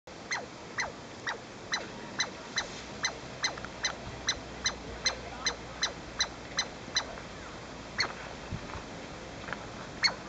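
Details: A Douglas squirrel gives a rapid series of sharp, high, downslurred chirps as an alarm at an intruder near its home.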